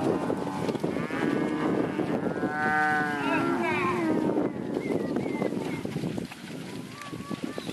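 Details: Herd of Red Angus heifers and Angus cows in a cattle lot, mooing with long harmonic lowing calls overlapping one another, several animals calling at once over a steady background murmur.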